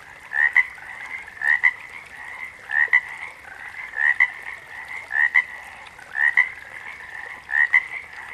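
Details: Frog giving double-noted calls, a quick upward chirp then a brief pip, roughly every 1.2 seconds, set against a low hum of other callers.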